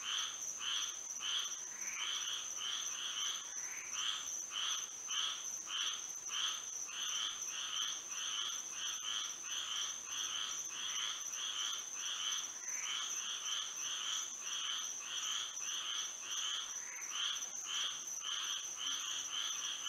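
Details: Florida frogs singing at night in moonlight, a long stretch of rapid pulsed croaks from many callers, some runs quickening into clustered bursts, around a hundred per minute, set against a steady high insect whine.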